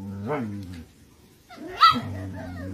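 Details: A Siberian Husky and a puppy bark at each other, with two harmonic, voiced barks and a rising-falling yowl separated by a short pause.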